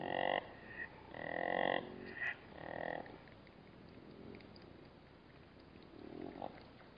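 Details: Black-backed jackal growling at a Namib desert waterhole, disturbed by calmly drinking bat-eared foxes: three loud, harsh, harmonic growling bursts in the first three seconds, then quieter, fainter rumbles.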